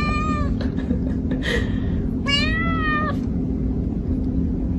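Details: Kitten giving two meows, the first short and falling, the second longer and rising then falling, with a brief squeak between, set against continuous low music.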